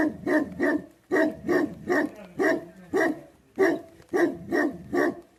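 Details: Tibetan Mastiff, a livestock guardian breed known in Nepal as Bhote Kukur, barking deep and hoarse in quick bursts of two or three, about ten barks within a few seconds, with short pauses between bursts.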